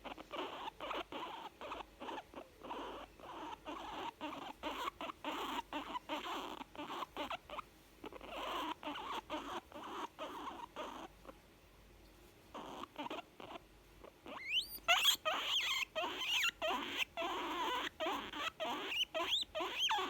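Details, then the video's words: Cute young female guinea pig voicing contentment: steady rapid chuttering pulses, about two or three a second, pausing briefly midway, then louder with a few sharp rising squeaks near the end. "Cute young guinea pig making sound's of contentment"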